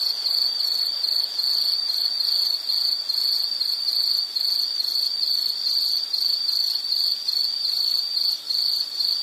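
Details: Insect chirping as a relaxing nature sound: a steady, high, shrill trill pulsing continuously in short rapid beats, forming an unbroken ringing band with faint higher chirps above.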